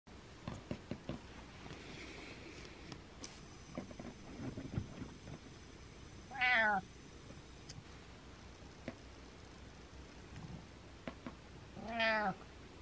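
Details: Domestic cat meowing indoors; two drawn-out, rising-then-falling meows about five seconds apart against a quiet room with faint clicks and rustles.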